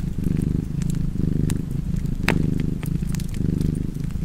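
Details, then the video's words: Rumbling cat purr with even breath-timed pulses, roughly one per second, alongside sharp pops from a crackling fire. "Cozy Purring Cat ASMR / Kedi Mırlaması"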